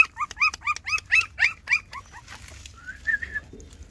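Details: Six puppies nursing from their mother dog GiGi give a quick run of high, squeaky whimpers, about four arching chirps a second, falling silent midway, then a softer wavering whine at the end.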